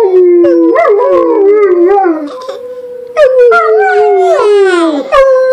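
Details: Several overlapping howls, dogs joined by kids, start low, climb and waver, then settle into a long sustained note; a brief sharp cry cuts in near the end.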